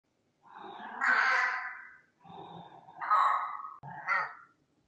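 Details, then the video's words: Sven, a pet cat upset at his owner and hungry, gives three long drawn-out meows and a shorter fourth, each rising then falling, in a quiet indoor space. "Sven is upset at mom."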